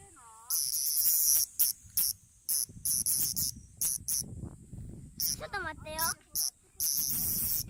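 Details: Male bear cicada in a park in Japan's Kansai region, on park trees or caught by hand. Loud, harsh, high buzzing comes in choppy bursts separated by short gaps, with human voices speaking over parts of it.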